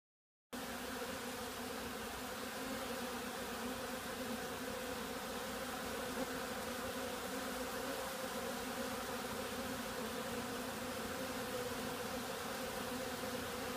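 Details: Bees, possibly robbing or in some other excitement, making a dense, steady buzzing hum with stacked low tones, unbroken after a short silent start and holding an even loudness throughout.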